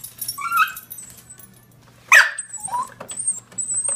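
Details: Female pet dog indoors, afraid of a printer and barking at it: a rising whine near the start, then one sharp loud bark at about two seconds, followed by softer whimpering cries over a faint steady hum.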